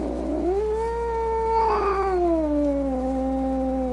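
A domestic cat utters a sustained, tonal yowl of anger, swelling briefly then sliding gradually lower over several seconds. It is a low, wailing moan rather than a hiss, with faint background hum beneath.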